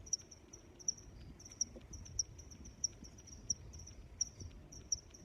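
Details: Crickets chirp in sharp, high-pitched bursts spaced a little under a second apart, with fainter trills in between and a soft murmur of low noise beneath.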